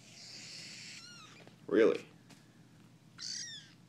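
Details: Young kittens, a litter found under a front porch, during play time; thin high mewing calls with falling harmonics at the start and again near the end, separated by a louder low thump and a man's voice.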